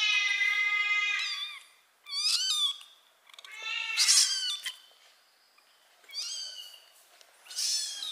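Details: Loud mewing of a kitten while the mother cat carries it by mouth: a run of five high, harmonic-rich cries, some long and bending downward, others brief and rising, separated by short quiet gaps.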